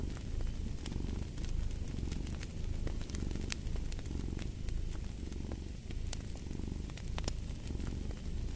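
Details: A cat purring in a low, continuous rumble that swells and eases in slow breathing cycles, with sharp crackles and pops from a fireplace scattered over the top.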